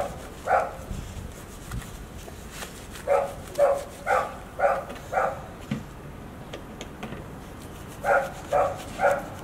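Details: Golden Retriever household celebrating Hiro's 14th birthday on 2 June 2019 at Ain village; dogs bark in short bursts, about two per second, in two runs with a pause between, light background noise.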